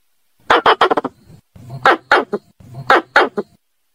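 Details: Squirrel call meant to bring a female: three tight clusters of sharp, harsh chirping clicks, about one cluster per second, each dropping into a low grunting tail.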